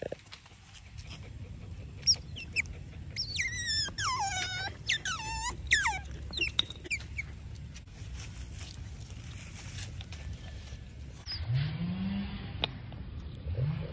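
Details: Otter Titi begging: a burst of shrill, wavering squeals with sharp rising and falling bends, packed into the first six seconds, then rustling and handling noise with a low droning rumble toward the end.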